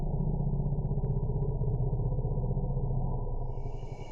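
A bull African forest elephant gives a very low, strongly pulsating musth rumble.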